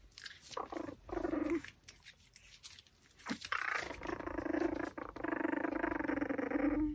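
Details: Pomeranian chewing a raw pork backbone produces low, steady growling whines, brief at first, then a long continuous rumbling tone through the last three seconds, with faint crunching between.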